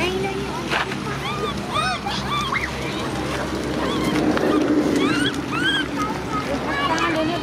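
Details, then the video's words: Cola, a baby macaque, keeps crying as sister Lyly is angry: repeated short arched whines, rising and falling, come in uneven bursts through the recording, with low rumbling and sloshing noise beneath. "Cola baby monkey cries angry sister Lyly"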